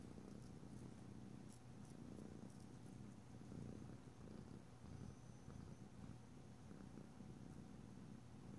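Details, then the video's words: Domestic cat purring steadily indoors during a nail-filing session, a deep continuous low rumble with soft pulsing throb and faint scratchy ticks in the background. "ASMR Cat: Nailed It! [no talking] [filing long nails] [rubbing oil/lotion] [purring]"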